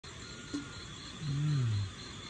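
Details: At night, a toad gives a low, drawn-out moaning note that sags slightly at the end, with insects buzzing faintly behind.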